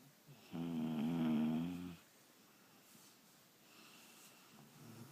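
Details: Two sleeping dogs snoring loudly: one long, droning, harmonic snore lasts about a second and a half, then quieter raspy breathing follows, with a softer snore rising near the end, in a quiet indoor room.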